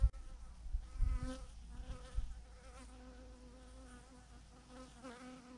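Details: Steady buzzing drone from a swarm of thousands of honey bees clustered on a branch, layered hum tones holding level with slight wobbles, after a burst of loud low thumps and rustling in the opening two seconds.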